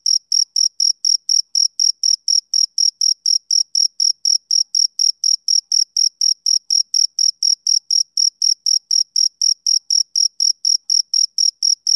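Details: A male cricket calling on a summer evening, producing a regular series of brief, piercing chirps at a fast, steady pace of several per second, with silence between pulses.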